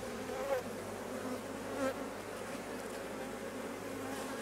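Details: Honey bees at a hive while a drone-laying colony is being replaced: a dense, steady droning hum with low tonal bands, plus brief louder whines as single bees fly close past.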